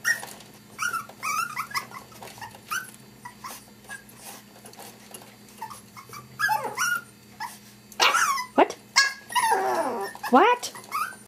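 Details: Maltese puppies wanting to be let out whine and yelp, with high, sweeping whimpers that rise and fall, growing louder and clustered near the end, over a steady low hum and noisy background.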